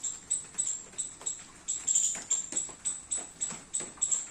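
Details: A squirrel eats baby coconuts in a rainy garden, giving a steady series of thin, piercing chips about every half second, with faint tapping and patter underneath.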